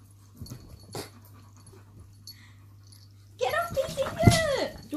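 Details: Shadow, a German Shepherd, and Poppy, a Chihuahua, grumbling irritably at each other while competing for their owner; quiet start with faint rustles, then a loud burst of arching, harmonic whining and growly grumbles filling the final second and a half.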